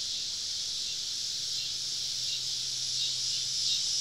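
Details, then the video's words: Many cicadas calling around a woodland campsite on a southern summer evening; the high, hissing drone runs without pause and swells a little louder toward the end. "Southern Evening Summer Cicada Symphony"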